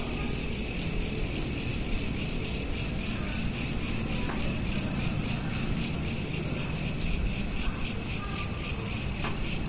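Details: Crickets at night chirp in a steady, high, rapidly pulsing chorus over a low background rumble, recorded on a smartphone.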